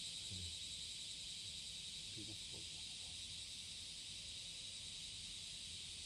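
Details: Courtship song of a cicada on a summer morning, July 30, 2017, at Passage de la Duee. A dense, shimmering high-pitched drone holds steady throughout, with a few faint low voice-like sounds beneath.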